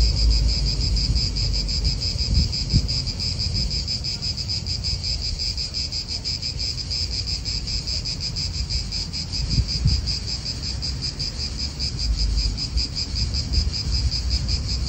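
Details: A chorus of cicadas in a park in Italy, a continuous high pulsing drone holding one pitch throughout, with gusts of wind rumbling underneath and a few soft low knocks.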